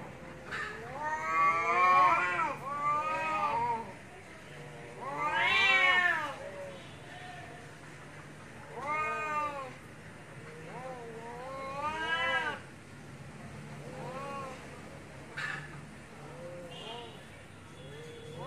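Domestic cats yowl at each other in a fight, with long wavering rising-and-falling wails.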